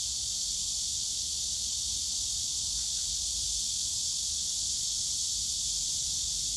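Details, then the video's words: Steady summer cicada din in the bamboo grove at Yongsan Family Park, a loud continuous high-pitched hiss from many insects, unchanging over several seconds, with low ambient rumble underneath. "용산가족공원 대나무숲 매미소리"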